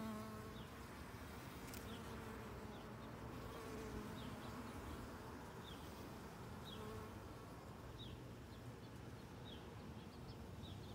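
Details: Honey worker bee at work on Rose of Sharon flowers, a faint wavering wing buzz under a grainy outdoor background, with soft repeated high chirps from distant birds throughout.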